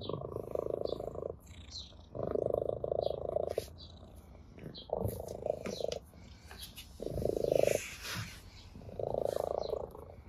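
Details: Ginger cat purring with pleasure while playing with a blade of grass; steady rumbling purr in rhythmic bursts of one to one and a half seconds, with soft rustling and small clicks between.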